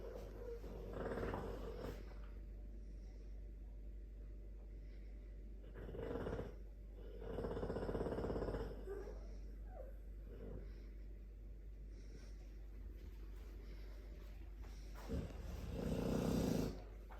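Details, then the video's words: Sleeping Dogue de Bordeaux snoring: rough, breathy rasping bursts at uneven intervals of a few seconds, some with a throaty rattle, over a steady low background hum. "Dogue de Bordeaux - Black belt in karate or blue socks in snoring"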